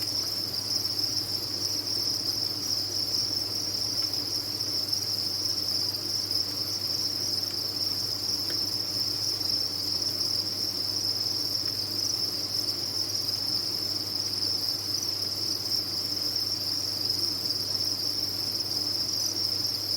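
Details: Cricket farm chorus: a large number of captive crickets chirp at once, forming a sustained high, sizzling trill that never pauses, steady and even, with a faint low-frequency hum beneath.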